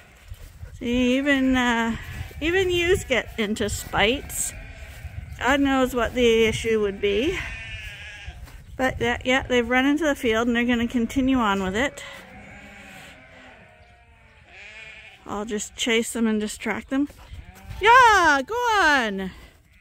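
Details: At Ewetopia Farms, a crowd of sheep waiting in a morning pile-up before going out to pasture gives loud, quavering bleats in repeated bursts, with short pauses between clusters.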